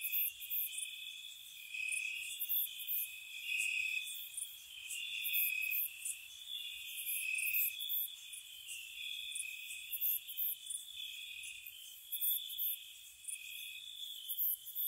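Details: Nighttime spring chorus of crickets around a cottage, dense high trilling from several insects with swelling and fading pulses and frequent bright chirps throughout.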